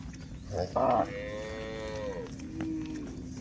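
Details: A short scuff, then one long, falling moo from a cow on a hill walk, tapering off softly over about a second and a half.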